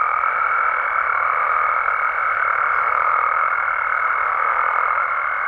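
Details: Mexican frogs and toads at night in the wild, a thick steady chorus of massed croaks with a sustained, thin high-pitched tone running throughout.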